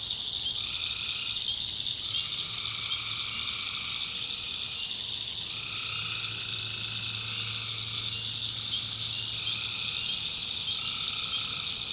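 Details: Tree frogs calling at night in the backwoods of North Carolina: a dense, unbroken high trilling chorus, with lower drawn-out calls of about a second each repeating over and under it, and a faint low hum beneath.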